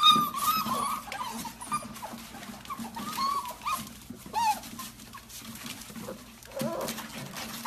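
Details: Golden Retriever indoors, from a compilation of funny moments, giving a series of high, thin whines and whimpers that rise and fall in short bursts, with soft rustling and faint household sounds behind.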